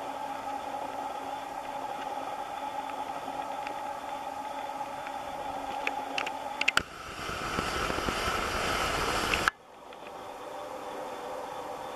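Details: Steady mechanical hum with a few clicks, then a burst of broadband rushing noise before an abrupt cut to quieter background hiss.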